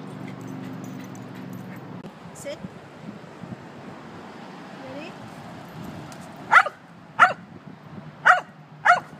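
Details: At a dog park with dogs Gretchen and Tiggy, a person talks briefly, then after a quiet stretch four sharp, loud barks ring out, spaced under a second apart, over a low outdoor hum.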